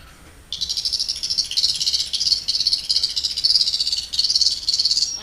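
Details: An Atlantic bottlenose dolphin at a marine mammal facility in Islamorada, Florida, on 14 February 2014, during a show, gives a rapid, buzzy stream of high clicks pulsing in quick bursts, nicknamed the "Geiger counter" sound.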